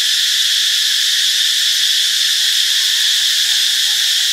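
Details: Unbroken, intense, high shrilling drone of cicadas, recorded on Friday, March 26 in Ubon Ratchathani, Thailand, steady in loudness from start to finish.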